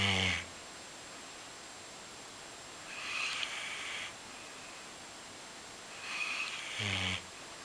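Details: Sleeping Golden Retriever snoring indoors: a loud, low rasping snort at the start and near the seven-second mark, with softer breathy hissing breaths in between over a steady hiss.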